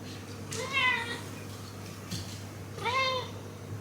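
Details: Shiba Inu soaking in a bathtub with its owner to loosen dirt around its rear, complaining in dog language; two rising-then-falling nasal whines, each under a second, with a steady low hum behind.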